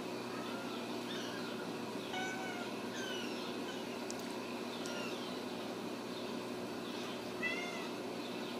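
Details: Ragdoll kittens, raised indoors without cages at a home cattery in central Kansas, give several faint, thin mews that rise and fall, scattered over a steady background hiss.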